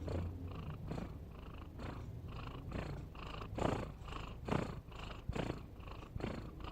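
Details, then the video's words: Snoring domestic cat, amusing and endearing: throaty rasping breaths repeated about once a second, some louder and harsher, others soft and airy. "Suara Kucing Ngorok"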